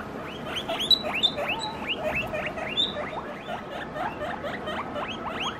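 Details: Guinea pig calling around feeding time indoors: a rapid series of high whistled squeals, each sharply rising then dropping, repeated several times a second without pause, with a faint steady hum behind.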